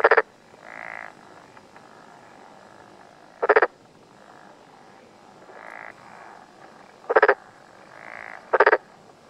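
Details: Black-spotted pond frog in Yamaguchi's Tokuji mountains, Japan, June 2021 morning: loud four-pulse rattling croaks spaced irregularly, interleaved with quieter buzzing calls of other frogs in the background.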